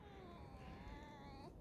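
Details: Alice, a tame fox, on a snowy morning while snow falls; a thin, drawn-out whine holding a steady tone with bright overtones, rising slightly at the end, over a low background rumble.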